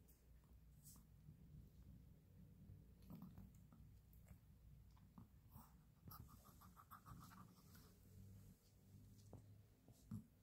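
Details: Kibble crunched by a Maltese: scattered crisp bites and soft clicking between quiet pauses, with faint breathing in a small indoor space.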